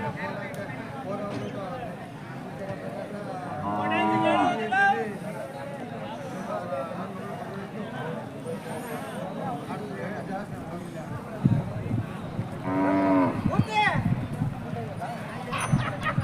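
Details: Hallikar cattle at the Jodugatte cattle market in India: two harmonic moos rise out of constant chatter, one near four seconds and another near thirteen seconds, amid steady conversation among farmers and background market noise.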